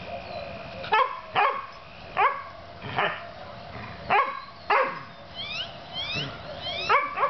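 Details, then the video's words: Puppies at play: short, high yappy barks and yips repeated irregularly about every half to one second, with a faint squeaky rising whine in the background. "Pups at play"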